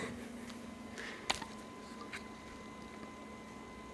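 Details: Quiet indoor room with a low steady electrical hum, faint hiss and a single sharp click near the middle.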